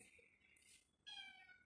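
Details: A domestic cat gives a short, high, thin meow in the second half, after a quieter, higher-pitched mewing sound at the start.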